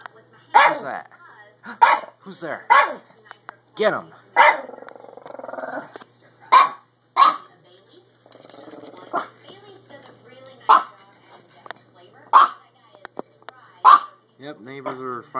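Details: Chihuahua-Pug mix dog watching from a window across the street as neighbors move in, March 22, 2015; irregular barks, some quick pairs, mixed with a man talking throughout.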